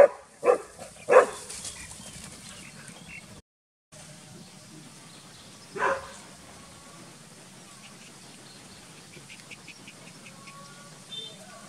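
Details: Village dogs Pao and SokYaa barking loudly while SokYaa is frightened: two sharp barks in quick succession near the start, then a single louder bark about five seconds later, over a quiet background with faint high chirps toward the end.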